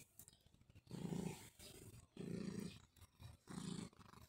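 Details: Summer reunion with Mjaullo, a cat: three deep, rough rumbling purr bursts, each about half a second long, spaced roughly a second apart, against a quiet background.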